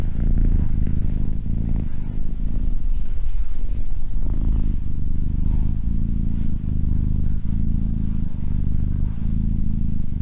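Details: Domestic cat purring steadily, a deep low rumbling vibration rising and falling with each breath in and out, continuous throughout.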